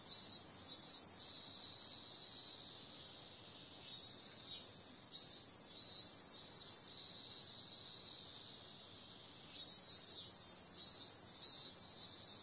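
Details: Cicadas at night in summer: a relentless high buzzing drone, broken into bursts of rapid throbbing pulses around four and ten seconds, with calmer steady humming between them.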